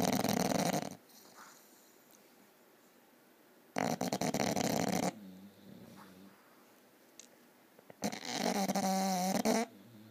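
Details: Loud snoring from a bulldog, heard as three harsh, rasping bursts roughly four seconds apart, the last one carrying a wavering tonal wheeze, with soft breathing sounds in the quiet stretches between.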